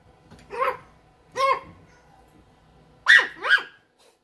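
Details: A mini teacup Bichon Frise puppy gives four high, yappy barks, two spaced apart, then a quick pair.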